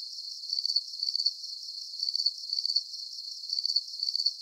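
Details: Crickets in a relaxing sleep soundscape: piercing, rapid trilled chirps arrive in loose groups separated by brief quieter stretches of faint hiss.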